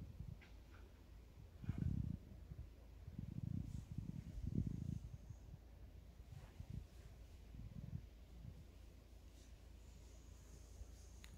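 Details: Wild boar in a forest, met by a man: deep, rough low grunting in bursts near two, three and a half and four and a half seconds, then softer rumbling grunts, with a quiet background.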